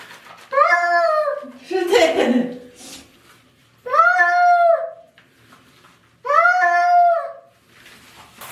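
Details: Cat protesting while being bathed indoors; three long, loud, drawn-out wailing meows, each about a second and a half, rising then falling, spaced about three seconds apart, with a person speaking Korean in between.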